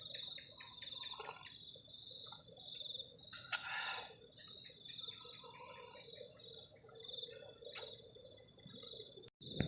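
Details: Crickets on a cold night beside a garden shelter at the forest edge, a steady high-pitched shrill trill with faint pulsing overtones, broken by a few soft clicks and knocks from nearby camp activity.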